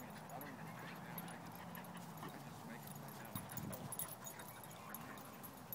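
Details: An almost 7-month-old Shiba Inu at a dog park in the evening gives low, wavering whines and brief yips, repeatedly inviting another dog to play.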